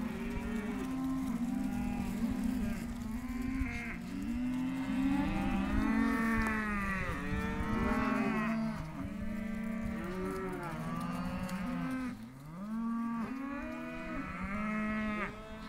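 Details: Several young Hereford calves of both sexes held in an auction lot, mooing in a dense, overlapping chorus; short arched bawls follow one another rapidly, a slight lull around twelve seconds before calling resumes.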